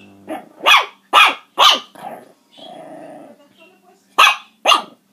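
Puppies give sharp, high-pitched yapping barks in quick pairs, with a brief whining growl between bursts.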